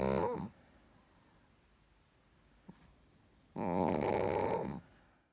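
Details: Richard the Chihuahua, sound asleep, gives a rough rattling snore at the end of one breath and another full snore lasting over a second after a quiet gap with a single faint click.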